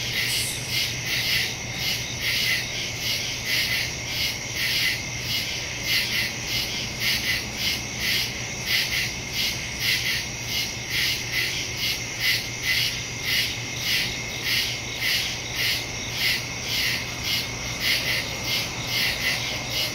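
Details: Night chorus of crickets in woodland, captured on September 2 using a phone with a stereo microphone; shrill high chirps pulse steadily, roughly once a second over a continuous trill, and a faint low hum runs throughout.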